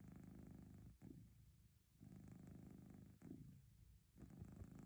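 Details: A house cat purrs in a deep, even rumble, breathing in and out at a slow regular pace of about one cycle per two seconds, each phase separated by a short soft dip.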